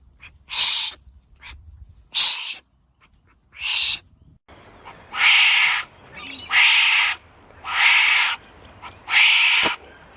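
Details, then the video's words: Wombat calls: harsh, breathy, raspy bursts repeated roughly every second or so, growing longer and louder in the second half, with quiet low background noise between. "Real Wombat Sounds"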